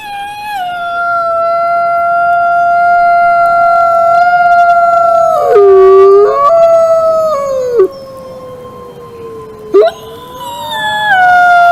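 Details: Wolf howling: a long, steady, mid-pitched howl holds for several seconds, dips lower in the middle, then slides down. A second overlapping voice joins, and the howls fade briefly before rising again near the end.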